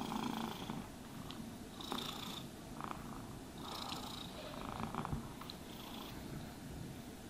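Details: A contented cat purrs steadily in a low rumble as it is brushed, the grooming strokes coming as short scratchy swishes roughly every second or two.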